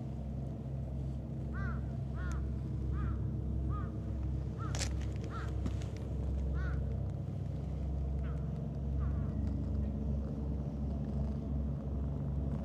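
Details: Stray cats, a calico with a heart-shaped marking and a mustached black-and-white tuxedo cat, crowd in to be petted. About eight short arched meows come at irregular intervals over a steady low engine-like rumble, with a brief clatter midway.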